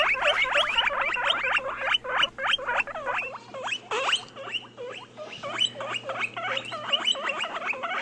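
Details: Pet guinea pigs giving rapid, continuous high squeaks, several per second, each a short chirpy note, running steadily throughout with a faint low hum underneath.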